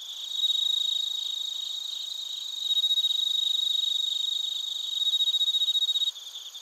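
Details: Cricket chorus of bell crickets and field crickets in Narita, Chiba Prefecture, Japan, captured with a TASCAM Portacapture X8: loud, shrill, rapidly pulsed trilling that rises in bursts roughly every two seconds, then drops quieter near the end.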